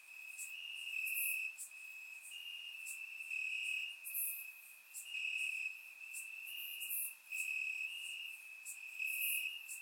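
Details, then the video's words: Crickets chirping in grass on a warm summer night in Bulgaria, captured with a surround microphone: a steady high trill with brighter bursts every second or so, layered with sharper high chirps from other insects. "Cricket Sounds - Crickets Chirping at Night"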